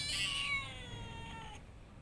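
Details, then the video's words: Domestic cat giving one drawn-out meow that starts loud and high, then slides downward and fades over about a second and a half. "Funny cat sounds"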